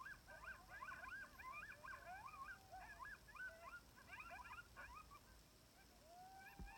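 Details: A pack of sixteen timber wolves on a southeastern Alaska hillside in Wrangell-St Elias National Park, September 2018, heard from roughly 700 yards: a dense chorus of quavering howls and rapid yips, one long steady howl near the end.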